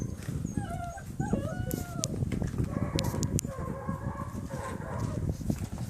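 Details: Von Forell German Shepherd puppies aged six weeks, line bred on Grim, meeting a slippery floor for the first time, give thin rising and falling whimpers over heavy low scrabbling and thumping from paws.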